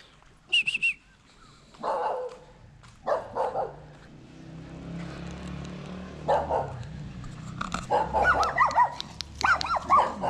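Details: Poodle giving birth to seven puppies of identical color: short, high whimpers and yelps break out in separate bursts, growing busier toward the end, over a low steady background hum.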